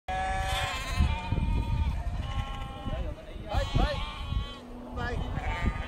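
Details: Sheep being herded by a Border Collie at Snowdon, UK, on 1 September 2019; several quavering, wavering bleats rise and fall over steady low wind rumble, with people talking throughout.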